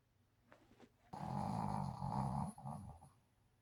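A Shih Tzu snores loudly, a deep rattling rasp swelling through a long breath.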